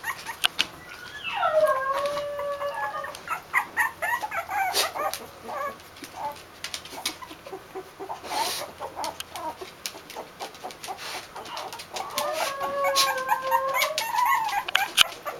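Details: Two-week-old Basenji puppies from a litter, recorded January 2015: drawn-out wavering whines sliding up and down, one near the start and another near the end, amid soft squeaks, rustling and clicks.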